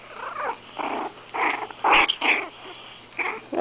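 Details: Five-week-old Morkie puppies, a Maltese and Yorkie cross, indoors: a run of short, rough, growly yips and squeaks in separate bursts over a few seconds, with a soft human voice in the room.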